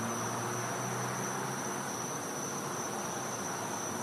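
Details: Cicadas heard at night in winter from a Florida home's back yard; a continuous high whine stays level, while brief low humming tones sound in the first half amid general hiss.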